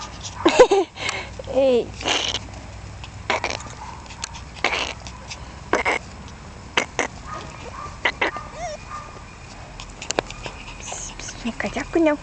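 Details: Jack Russell Terrier puppies, all male littermates-by-father about 1.5 months old, give brief high whines and yips while playing, amid scuffling clicks and a little human speech.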